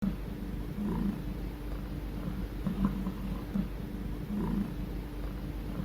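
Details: A domestic cat purrs, a low, steady rumbling thrum pulsing with each breath, a sign of contentment and comfort, sometimes made to ease pain.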